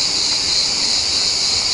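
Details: Cicadas in a forest camping park by the sea at Incekum, Alanya, Turkey, in early summer: a dense, unbroken high-pitched hiss-like buzz fills the whole recording at steady loudness.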